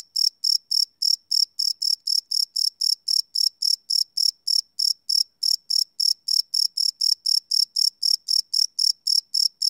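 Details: Live night recording of crickets made with a Sony PCM D100: a long, even series of shrill chirps, about 214 a minute, bright and high, continuing without pause against silence.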